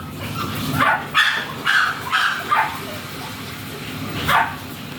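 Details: Teacup Chihuahua at a stud service at RBC Farm in Laoac, Pangasinan, giving a run of short high yapping barks, about six spaced through the clip, over a steady low hum and background noise.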